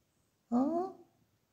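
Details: Pet cat Tommy at home, being cuddled in someone's arms, lets out a single short, clear meow that rises slightly in pitch and lasts about half a second against near silence.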